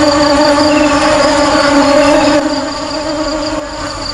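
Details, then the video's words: Loud honey bee hum, a steady tonal drone with overtones that fades somewhat toward the end. "Tiếng ong kêu"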